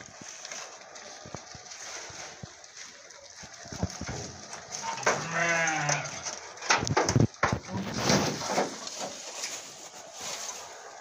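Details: Goats of the Alpine, Murciana and Malagueña breeds in Morocco; one loud, wavering harmonic bleat lasting about a second midway, amid rustling, handling knocks and low background noise.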